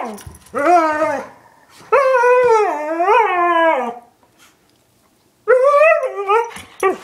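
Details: Indoor pet dogs, a one-year-old husky and an eight-year-old German shepherd mix, producing drawn-out rising and falling howling moans in three long bursts separated by pauses.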